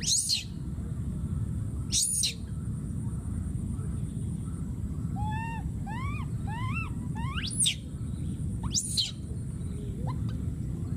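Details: Calling for his friend, a wild baby monkey gives piercing arched screams at the start, a quick run of rising tonal coos midway, then more sharp shrieks, with steady low-pitched background noise throughout.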